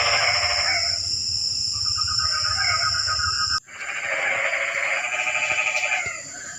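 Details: Frogs heard on a rainy night in a quiet setting: long, rattling, pulsed croaks from several animals, an abrupt break midway, then the chorus resumes under a continuous high insect drone.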